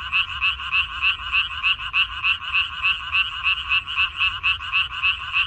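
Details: Many frogs calling together in a minari field, recorded 14 May 2021. Rhythmic, raspy pulses repeat roughly three per second in an unbroken wall of croaking, with only a faint low rumble beneath.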